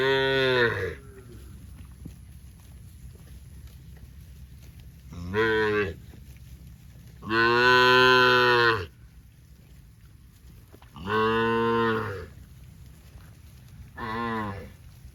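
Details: Cows from a tame herd of dozens running in green grass rice fields on a cattle farm; five loud harmonic moos, the longest about one and a half seconds, spaced by quiet pauses.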